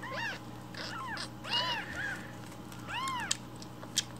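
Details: Rescued baby kittens calling for milk in the morning; soft, arched, repeated meows from more than one kitten against a steady low hum, with two small clicks near the end.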